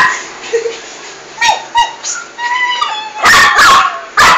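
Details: A female toy poodle fights a large rat in a bathroom. Thin high whines and yelps rise and fall, then end in a cluster of loud, harsh barks.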